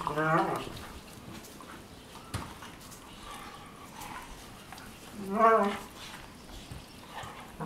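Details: Two Weimaraner sisters, Jila and Faith, from Cyprus, play fighting on their bed in the morning; two short, harmonic whining-growly vocalisations, one at the start and another about five seconds later, between soft rustling and thumps of bedding.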